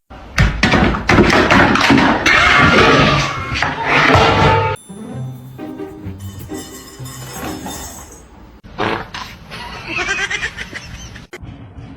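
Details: Loud music with speech and heavy thumps, then quieter edited sections of mixed noise, and no animal call stands out.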